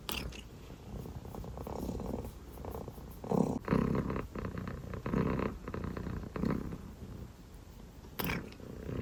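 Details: A sleepy dilute calico kitten, purring and yawning, purrs in a low, steady rumble that swells and fades with each breath.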